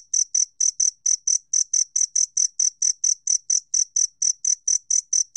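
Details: Two-spotted cricket, National Institute of Biological Resources archive, Korea, 2020, giving a steady train of bright, bell-like chirps, roughly four per second, about twenty-two in all, on a silent background.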